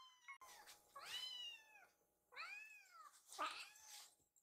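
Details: Rescued baby cat in foster care, begging for food: three clear arched meows, each rising then falling, about one per second, the last shorter and rougher, over a quiet indoor room.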